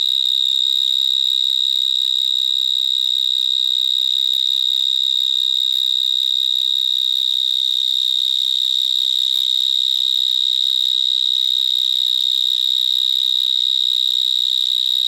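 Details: Many vineyard mole crickets (Gryllotalpa vineae) singing underground from small holes in a vineyard in Gironde, France. A very loud, high, unvarying electric-sounding trill continues without breaks, pitch constant from start to finish.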